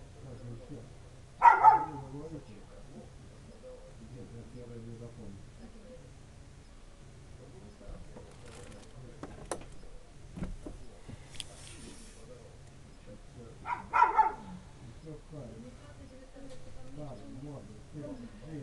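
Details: Village dog barking for no visible reason on a winter night, 3 January 2017, while waiting for its owner: two short, sharp barks about twelve seconds apart, with low murmured speech and faint rustling between them.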